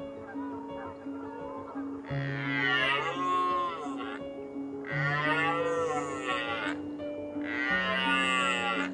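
A red deer gives deep, drawn-out bellowing roars, three in a row, over steady background music.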